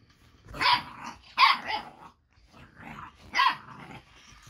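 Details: Boxer puppy Baron, eight weeks old, barking at the moving, lit-up Ollie robot toy: three loud, rough barks, two in quick succession and a third about two seconds later, with quieter grumbles between.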